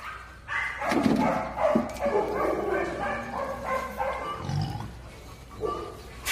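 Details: Summer recording of wild boars kept on a farm in Sangbuk-myeon, Eonyang, Ulsan, Korea: a rapid run of short nasal grunts and squeals, several per second, rising and falling in loudness over six seconds.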